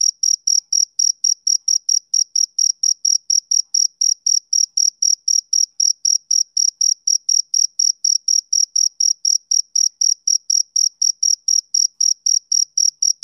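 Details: Male cricket, summer evening, chirping without pause: piercing short pulses at about four per second, evenly repeated from start to end against silence.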